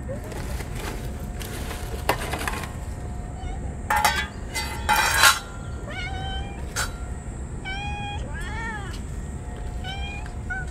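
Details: Stray cats fed on a very hot day, crying and rubbing against each other in joy; a run of short rising meows in the second half after rustling and handling noises, with steady low background hum.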